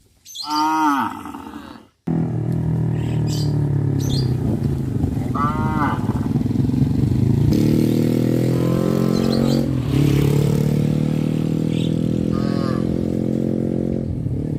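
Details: Cows on a traditional village farm travelling along the village road to the livestock pen in the afternoon; several drawn-out, harmonic moos, some rising then falling, heard over a steady low engine-like rumble.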